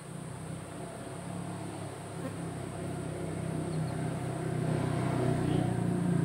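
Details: Beekeeping colony of honey bees under SAMS smart hive monitoring; a loud, low rumbling hum that builds gradually over the seconds, thick and continuous with a slight rough texture.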